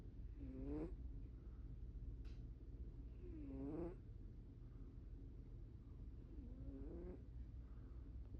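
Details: A cat snores in its sleep, giving three slow, drawn-out tonal breaths roughly three seconds apart, each curving upward in pitch as it fades, above a constant low rumble.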